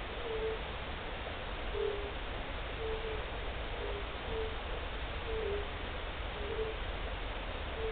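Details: First European fire-bellied toad calls of the year, recorded 29 March 2014: short, soft, mellow 'oop' notes about once a second. Some notes are doubled at slightly different pitches, as if two toads overlap, over constant hiss.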